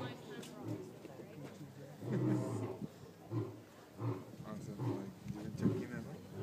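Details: White lion roaring at Toronto Zoo, 2012: deep grunts begin after a couple of seconds and repeat roughly every second, mixed with people talking nearby.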